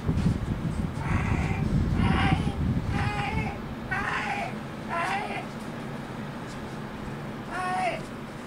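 A Devon Rex cat meows in a quick series of short, falling calls over a low rumbling background.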